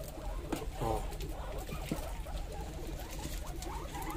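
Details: Hungry pet guinea pigs, noisy when waiting for food and given carrots, make a short harmonic squeal followed by scattered softer squeaks, with low rumble and handling noises beneath.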